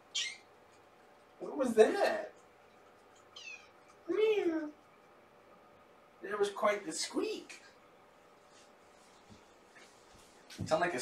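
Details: Shelter kittens born November 22, part of a litter of three with their mother Olympia, on a morning visit on 2018-03-13; several rising-and-falling harmonic meows come in separate bursts a couple of seconds apart, with indoor room noise between them.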